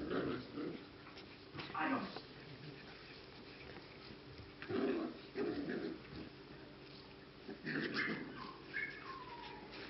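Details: Six- to seven-week-old English cocker spaniel puppies at a Czech kennel, giving short whimpers and yips in scattered bursts that end in a high, falling whine. Indoor room noise and some human speech are heard.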